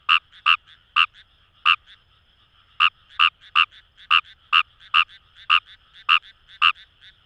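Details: Wild Kawamura's rice frog calling in paddy fields along the Kamo River, Itoshima, Fukuoka, Japan: about thirteen short, sharp, rasping croaks in seven seconds, spaced irregularly with one longer pause, and softer notes between them. The background is quiet.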